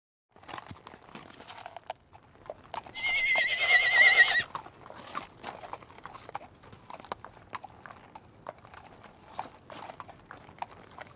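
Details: A single horse whinny, about a second and a half long, trembling and wavering at a steady pitch, over scattered clicks and light knocking in a quiet setting.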